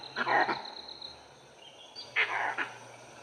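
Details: Langur alarm calls in an Indian forest: two loud, harsh, coughing barks about two seconds apart, warning of a pack of wild dogs that had treed a leopard.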